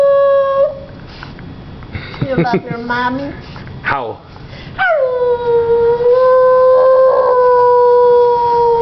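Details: A little female Vizsla pup answers back to her owner with short whimpers and quick yips, then a dropping cry, and finally a long, steady, drawn-out howl held for about four seconds.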